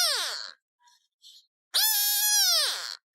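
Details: Recently fed pet cat meowing. The tail of one descending cry is followed by faint soft sounds, then a second drawn-out meow that stays level before dropping off.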